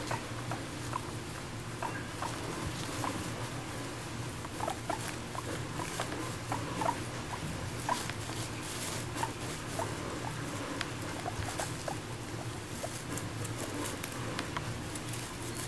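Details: Female pet guinea pig Moru-chan, adopted at one and a half years old, munching grass indoors and seeming to chat to her owner about eating together; steady crisp crunching clicks with a few faint short squeaks scattered between bites.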